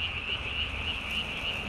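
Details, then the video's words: Tree frog calling at night on 3 May 2020, its vocal sac under the chin inflated almost as large as its body; a rapid, regular series of short bright pulses, roughly four per second, over steady low background rumble. "밤에 우는 청개구리 울음판이 몸통 만큼 크네요? #청개구리 #울음소리 들어보세요"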